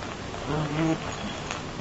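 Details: A dachshund who likes to bite gives a low, buzzy growl that swells briefly in the middle of the clip while his owner tells him no.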